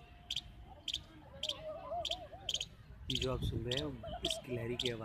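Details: A small baby squirrel on a tree in a Jaipur park calls continuously with sharp, high chipping calls about twice a second, perhaps seeking its mother or watching visitors; a man talks.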